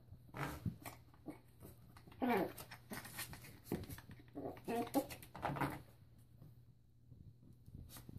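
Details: Yorkshire Terrier puppy indoors, playing with a bathroom door stopper: short, tonal, rising-and-falling whimpering bursts around two and five seconds in, among scattered sharp knocks and clicks in a small, echoing room.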